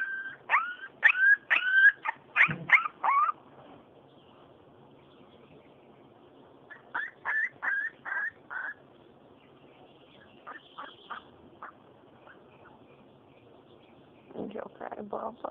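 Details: Siberian Husky puppy four weeks old whimpers in bursts of short, high whistled whines, then a quiet stretch with fainter whines and a few lower squeals near the end, amid soft room noise and a soothing human voice.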